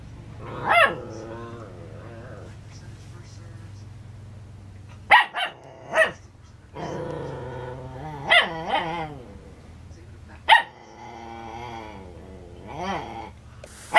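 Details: Twelve-week-old male Schnauzer puppy barking at his own reflection in a mirror: sharp, bright yappy barks arriving singly and in quick pairs, mixed with longer wavering whiny growls between them, and short quiet gaps.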